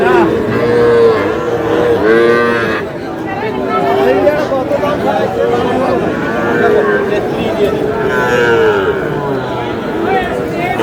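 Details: Young bull calves at a cattle market bought by a farmer from Noakhali, Bangladesh; several drawn-out moos rise and fall over a busy market background of crowd chatter and speech.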